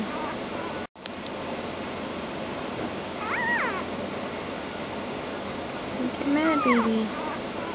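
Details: Newborn Dogo Argentino puppies give thin arched whines, one around three and a half seconds and a cluster of sliding squeals after six seconds, against constant background noise.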